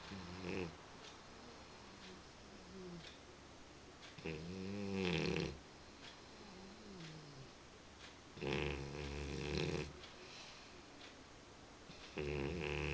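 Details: Römer, a sleeping dog, snoring: four loud, buzzy, rasping breaths with layered tones, spaced about every four seconds, each lasting a second or more, with quiet breathing in between.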